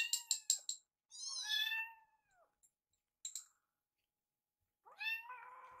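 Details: Two rescued kittens, Yuki and Piyo, follow their carer while food is readied; quick clicky bursts, then a bright wavering meow, a short click, and a final meow falling into a breathy tail.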